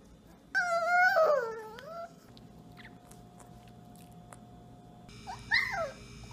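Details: A puppy gives one rising-then-falling whine lasting about a second and a half, followed by quiet, and then a faint, brief squeak near the end.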